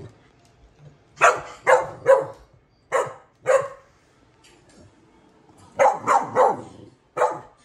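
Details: Several dogs barking in bursts: a quick run of three barks, a pair a second later, then a rapid cluster of four near the end, each bark short and harsh with quiet gaps between.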